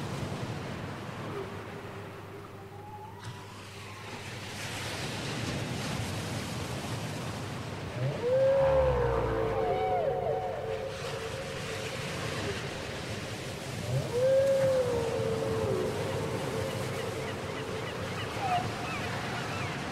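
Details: Whale song copied from a cassette: two arched whistled moans about six seconds apart, with faint chirps and a few low grunts beneath a constant noisy ocean hiss.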